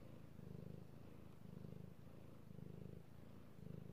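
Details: Domestic cat purring while being petted, recorded 3/16/18: a low, rumbling, pulsing purr swelling in phrases about once a second, each surge steady and buzzy.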